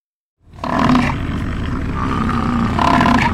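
An American bison bellows in a deep, rough, sustained roar that rumbles on for nearly three seconds without a break.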